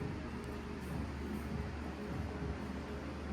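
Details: A steady low hum like a fan or soft background music runs through a small room, with no animal sound.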